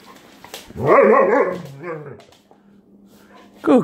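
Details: German Shepherd in a house confronting Blue Putty gives one rising-and-falling, moaning bark-howl lasting over a second, followed by a quieter trailing grumble, a low steady hum and a sharp sound at the end.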